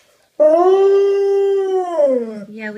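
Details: A gentle female dog, indoors, tattles on another dog who tore open her new stuffed toy: one long, loud, steady whining howl held for about two seconds, then wavering and dipping lower at the end, with a person's voice following.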